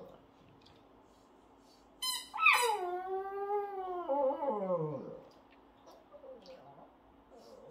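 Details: A Shih Tzu "sings" along with a baby, giving a drawn-out, wavering howl that slides down in pitch and fades away.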